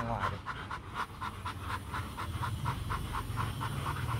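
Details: Rottweiler during mating with Marvin Gervi and Kacyno Gervi in Hanoi, Vietnam; steady fast panting, about four breaths a second, with human speech in the background.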